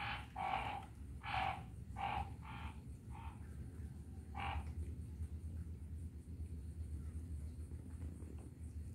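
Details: Phyllomedusa burmeisteri: a quick run of gritty croaks in the first four and a half seconds, then the frog falls silent and only a low droning rumble continues.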